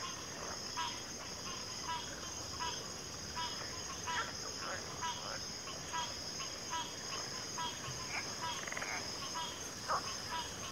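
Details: Many frogs calling together, short sharp croaks repeating about every half second to second in loose succession, backed by a continuous shrill insect hum.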